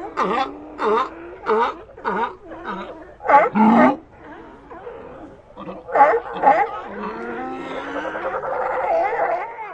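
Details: Several sea lions barking in a quick series of short, harmonic honks at the start, then quieter overlapping moans and drawn-out, wavering calls blending into a steady chorus of the group.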